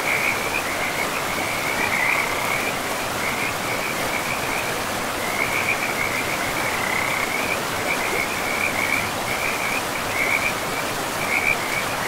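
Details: A frog chorus beside a forest river: rapid, evenly pitched trilling bursts run without pause across the whole stretch, set against continuous rushing water.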